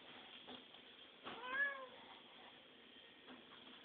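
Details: Pet cat asking for food: a brief, fairly quiet meow rising then falling around the middle of the recording, with low room hum and light background shuffling before and after.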